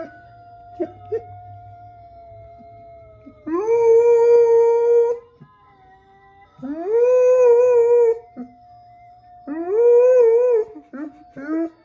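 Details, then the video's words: Jasper, a dog, howls in three long sustained, slightly wavering notes of about two seconds each, separated by pauses, over a faint steady background tone. "Jasper Howling"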